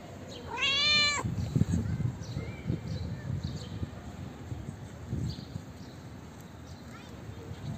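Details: A calico street cat gives one short, bright meow that rises in pitch, followed by low background rumbling.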